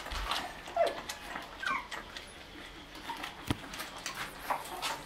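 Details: At milk time, white Shih Tzu puppies 1 month and 28 days old feed beside their mother, dated 05/08/2020. Thin, short whimpers and yips rise and fall among soft clicks and sharp knocks indoors.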